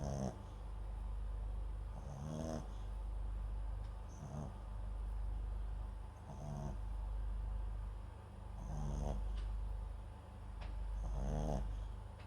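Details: Sleeping Papillon × Japanese Chin mix dog indoors, microphone placed beside it, snoring softly in rhythmic breaths roughly every two seconds, each a low rasping rattle, over steady room hum.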